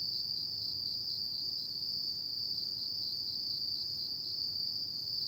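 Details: Nighttime autumn insect chorus: one constant piercing high trill sustained for the whole stretch, faint upper overtones, and a gentle low-frequency hum in the background.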